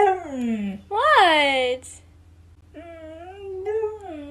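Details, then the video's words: Siberian Husky complaining because it wants to go outside with the other dogs: a sliding vocal moan, then a sharp rising-and-falling yowl, a pause, and a longer wavering howl, recorded indoors on an iPhone XR. "Husky Complaining"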